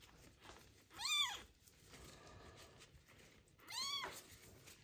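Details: Abandoned kitten with ringworm, found in a box on the street, during its first medicated bath: two high arching meows about three seconds apart, harmonics stacked above, against a faint background hiss.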